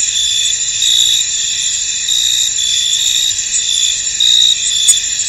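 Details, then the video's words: Crickets chirping in a foggy field, a thick high-pitched trill running throughout, with a few stronger chirp bursts and one brief click near the end. "Tranquil Cricket Sounds In An Misty Field"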